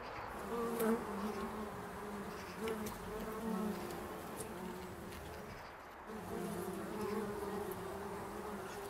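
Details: In an English country garden, bumblebees working foxglove flowers make a low, steady droning buzz that hums almost continuously, wavering slightly in pitch.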